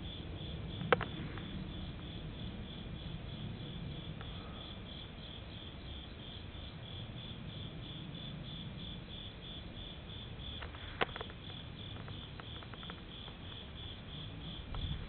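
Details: On a summer night at a temple in Japan, an insect chirps in a steady, high, rapidly pulsed trill over the low distant rumble of an airplane.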